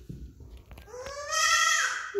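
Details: Female baby goat indoors in a small building, yelling for her owner after losing sight of her; one loud, harmonic bleat that rises and swells over about a second, with a woman's voice just before.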